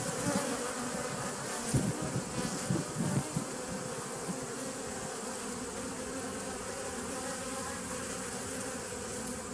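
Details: Humming bees, 27 September 2018, give a steady buzzy drone; a few low thumping bursts break in during the first few seconds before the hum settles back to an even level.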